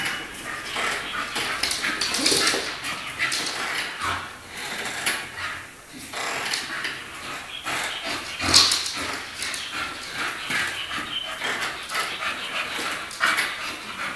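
A Staffordshire Bull Terrier gives breathy, whining vocal sounds in irregular bursts against a hissy background.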